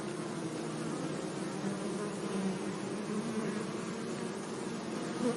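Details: Honey bees buzz gently among flowers in a sunny meadow, a steady, low droning hum that swells and fades slightly.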